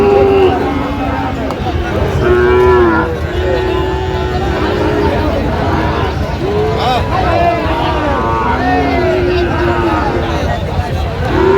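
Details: Sahiwal bull calves bellow repeatedly at a busy Chattogram cattle market, Bangladesh, on 29 January 2026: short and long wavering moos recur every few seconds beneath a dense background of voices and general market noise.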